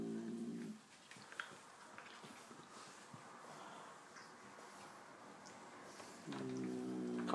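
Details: An angry chocolate-coloured Persian cat gives low, droning growls at the start and again at the end.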